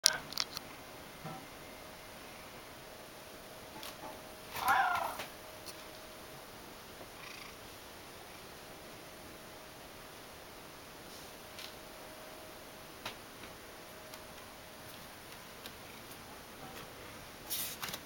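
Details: A Ragdoll cat that follows its owner around begging gives one short, rising meow amid near silence; it turned out to want milk.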